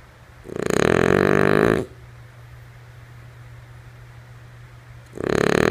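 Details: Lulu, a female French Bulldog, snores while asleep: one full rasping inhale of just over a second, a quiet pause with low hum, then the next snore beginning near the end.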